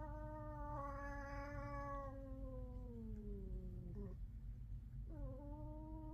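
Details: Cat in a household of five cats, fighting; a loud drawn-out yowl with rich harmonics, slowly falling in pitch over about three seconds, then two shorter rising wails with a brief break between them.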